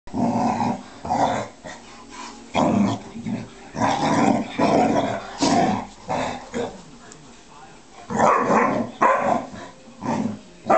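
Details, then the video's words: Bearcoat Shar-Pei pestering a Tibetan Mastiff to play; rough, broadband growling in repeated bursts of about half a second to a second, with short gaps between, loud and close. "Bearcoat Shar-Pei Annoying A Tibetan Mastiff"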